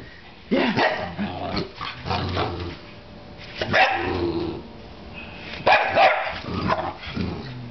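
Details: English Bulldog barking and growling in bursts, with rough, throaty barks spaced irregularly over several seconds and short low rumbling growls between them.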